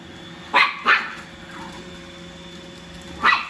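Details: A little long-haired Chihuahua puppy barks while fighting a robot vacuum: two sharp high yips close together, a pause, then a third yip near the end, over a steady background hum.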